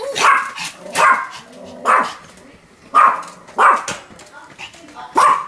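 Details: Pomeranian named Sam barking continuously, filmed 7 October 2015: short sharp yapping barks in quick bursts roughly every second, with faint human voice between them.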